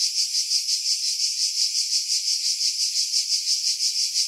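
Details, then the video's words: Pine-dwelling cicadas at Pefkos Bay, Skiros Island, Greece, in July 2018 produce a shrill, sizzling chorus that throbs rhythmically about three times a second, captured with a Sony RX3 and external mic. "Cicada Sounds, July 2018 Skiros, Greece"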